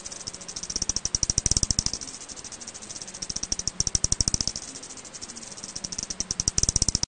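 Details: Eastern bent-winged bat (Miniopterus fuliginosus) echolocation calls, recorded in Korea in 2020: rapid trains of dry, clicking pulses that speed up and slow down.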